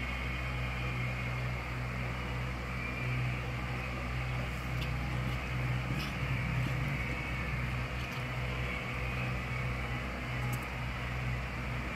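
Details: Steady low mechanical hum, like a fan or engine, fills the room with a few faint clicks and no animal voice.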